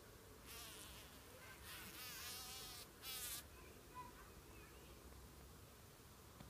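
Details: A bumblebee being captured by a spider buzzes in loud, wavering bursts that rise and fall in pitch, then cut off abruptly.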